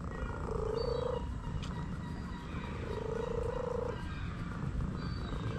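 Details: Orange cat relaxing under a massage utters two level, slightly rising calls roughly two and a half seconds apart, with a constant low hum underneath.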